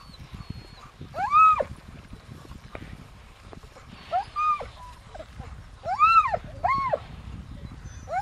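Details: Alaskan malamute sled dogs on an Arctic expedition give high, arching whined yelps, each a rising-then-falling wail, in bursts around the two-, four- and six-second marks, over low rumbling background noise.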